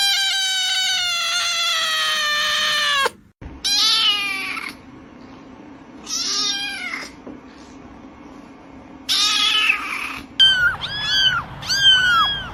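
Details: Compilation of Persian kittens meowing: a long steady wailing cry slowly falling in pitch, then several short, strained mews separated by abrupt cuts, ending with a rapid series of small high arched squeaks over faint background noise.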